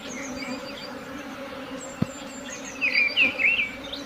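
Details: Steady droning hum of a honey bee swarm, broken by a single sharp click, then a burst of bird twittering near the end.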